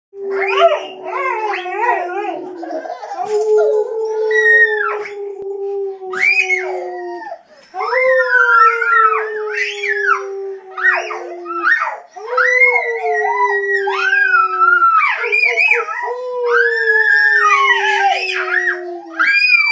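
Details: Three dogs howling together in early April 2011: long, wavering, overlapping howls, some holding a steady low tone while others rise and fall higher, pausing briefly around every four to five seconds.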